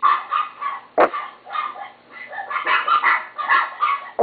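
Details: Pet chihuahua barking indoors in a rapid run of short, high, yappy barks with harmonic overtones, about three per second with brief pauses between bursts, plus two sharp knocks near the start and the end.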